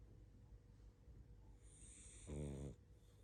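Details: Barney, a sleepy pug, snores and snuffles while asleep: soft low breathing gives way to one rough, throaty snore lasting about half a second, with a hissy airy edge, then quiet breathing resumes.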